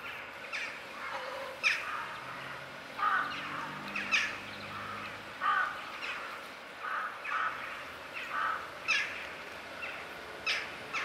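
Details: Kitten with blue eyes found in a basement, giving short mewing cries repeated about once a second, some louder and some fainter, over a low steady hum.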